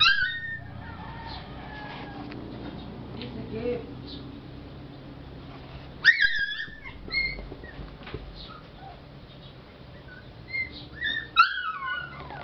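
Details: Male Lhasa Apso puppy, four months old, in the Batangas area, giving high thin whimpers and squeaky yelps that bend up and down, clustered near the start and again late in the clip over low background hum.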